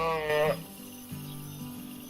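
A single short sheep bleat opens, nasal and wavering with a rich, buzzy tone. It fades after half a second, and a low speaking voice continues beneath faint background sound.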